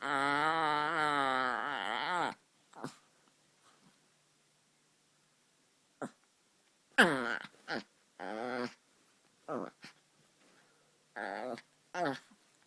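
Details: Funny sounds from a white Chihuahua puppy: a long, quavering, harmonic moan over two seconds, a pause with faint ticks, then a run of shorter yelping whines and grumbles.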